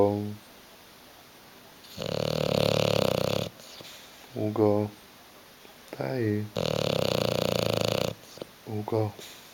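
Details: Bulldog Hugo dozes on the sofa, refusing to get up. Two long, raspy, rhythmically vibrating snores alternate with a person repeatedly calling his name in Italian in a small room.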